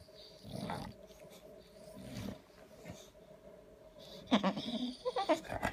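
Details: Sulking Bulldog making noises for attention early on a Saturday morning: low grumbling breaths in bursts, ending with louder snorting whines and a sharp yelp-like sound.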